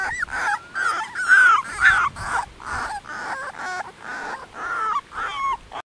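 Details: Eighteen-day-old Dogo Canario puppies whimpering together, a steady run of high squeaky whines and yips roughly twice a second, some notes bending downward, several pups calling over one another.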